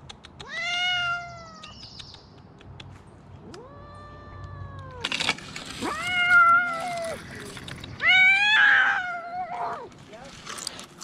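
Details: Rescued cats meowing repeatedly, about five clear, drawn-out meows at varying pitches, some rising and wavering, with scattered bumps and rustling between calls.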